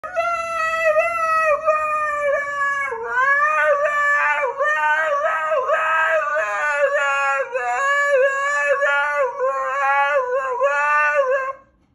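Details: A Siberian husky "sings", giving a long, wavering howl that warbles and bends in pitch.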